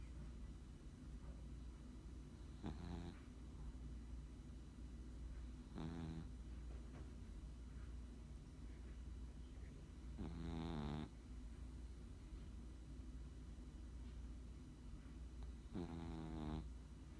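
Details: A sleeping Chihuahua snores in buzzy, rasping bursts roughly every three to five seconds, four snores in all, over a constant low hum.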